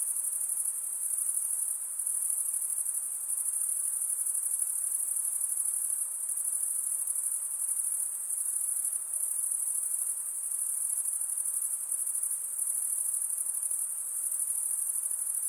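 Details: A night chorus of insects, shrill and very high, sustained without pause and with gentle flickers in loudness, set against faint broadband background noise.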